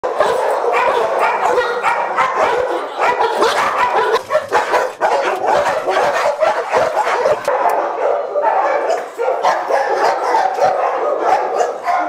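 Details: Boxer dogs kept in shelter cages, many barking at once: a dense, unbroken chorus of overlapping sharp barks and yips with hardly a pause, a few short dips in loudness around four and nine seconds.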